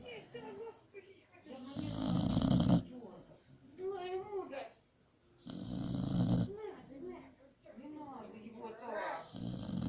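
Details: Pit the pit bull asleep, giving deep, grating snores about every four seconds while people talk and laugh over the quieter gaps in a small room.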